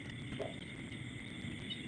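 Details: At night around a house amid Thai rice fields, frogs croak together in a chorus, with a steady high insect drone behind.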